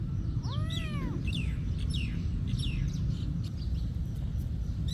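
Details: Cat at a monastery giving one clear, arching meow early on that rises and falls within a second, followed by a few fainter, shorter mews over a steady low rumble.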